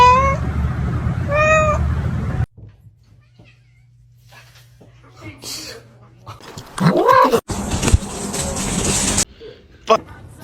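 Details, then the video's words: Kitten meowing: two short, clear meows, each bending up then down, about a second apart, followed by a low hum, scattered thumps and a burst of broad noise. "kitten meowing"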